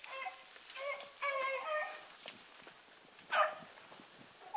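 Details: Bluetick Coonhounds running with a dog named Sassy, giving distant overlapping bays: several ringing, harmonic notes in quick succession, then a louder single bawl near the end, with a steady high insect drone throughout.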